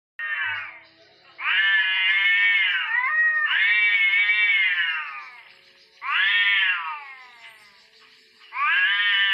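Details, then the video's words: Orange cats fighting: loud, drawn-out wailing yowls with rich harmonics, each lasting one to two seconds, rising and wavering then falling, repeated about four times with short quiet gaps between. "kucing oren berantem"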